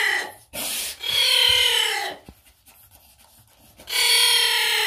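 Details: Young giant anteater at Zoo Magdeburg making itself loudly heard: three loud, harsh, raspy calls, each up to a second long and banded with tones, separated by short gaps and a quieter rustling stretch.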